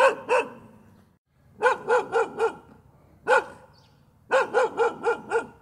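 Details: Dog giving continuous gâu gâu barks: a pair, then a run of four, a lone bark, and a final rapid string of five, each bark clipped and bright with harmonics.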